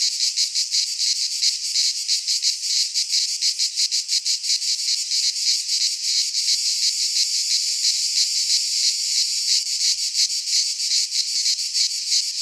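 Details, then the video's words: Cicadas singing in midsummer in a Greek pine forest: a loud, continuous high buzzing chorus with rapid pulsing throbs, several pulses per second, steady throughout with no other sounds. "Cicadas singing in midsummer - Nature sounds from the Greek fauna - Sounds of cicadas"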